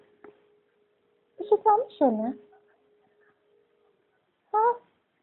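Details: Ducati, a male pet cat, answers his owner in his own way when asked something, indoors: a few short, bent meows, two close together, then a pause and one more, over a faint steady hum.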